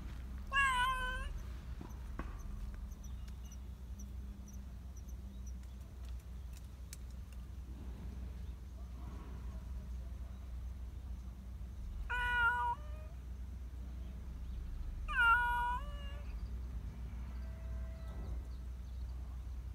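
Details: A black Persian community cat in a park meows to be petted and fussed over, giving one meow early and two more close together later, each bending in pitch, against a faint low hum.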